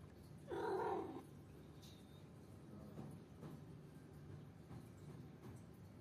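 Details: Indoor scuffle between two pet cats, year-old Simsim and three-month-old kitten Basant; one short, strained, nasal yowl with rich overtones, followed by soft shuffling and faint taps in a quiet room.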